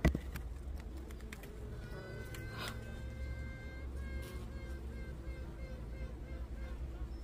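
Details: Western honey bee; queen piping; queen signalling to rival queens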